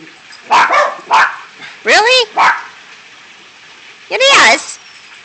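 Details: A 13-year-old Jack Russell Terrier and a Morkie by a pool, with sharp high barks and yips in quick bursts, two pairs followed by a longer bark, and a person speaking nearby.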